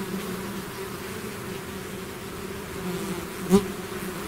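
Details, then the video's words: Steady low droning of a bee swarm out of its hive, with one nearby bee sweeping past in a short loud buzz toward the end. "bees therapy swarm natural buzzing sound"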